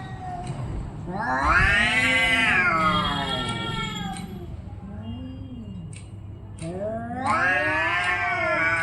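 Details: Orange and white cat during a fight, letting out loud rising-and-falling yowls, a lower moaning growl between them, then another swelling howl; faint clicks in the background.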